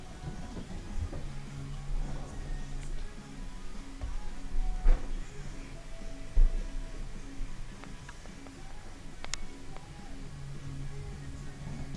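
Low, steady droning tones like quiet background music or an appliance hum fill an indoor room, with a few soft knocks.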